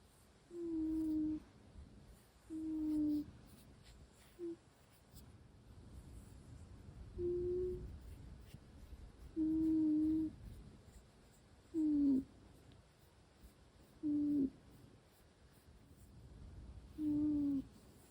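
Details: Russian Blue cat asleep indoors, snoring with a low whistled hum on each breath, about every two seconds, some notes bending slightly downward, over a faint room hiss.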